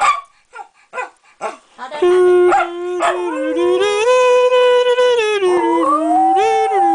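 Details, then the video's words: Pet Jack Russell Terrier named Thunder howling and talking; a run of short yips and soft vocal bursts gives way to a long sustained howl that wavers, rises to a plateau, then dips and climbs again. "Little Thunder, Big Howl II"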